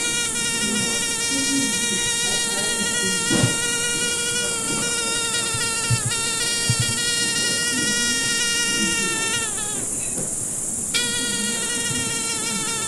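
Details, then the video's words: A fly's buzz drones on steadily, with a slight wavering in pitch. It stops for about a second and a half, then resumes at the same pitch. Light background knocks and a steady high hiss. "Звук мухи. Жужжание мухи."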